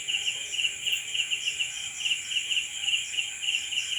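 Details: Nighttime cricket chorus: shrill, tightly pulsed chirps repeating about every third of a second over a constant high ringing drone from many insects.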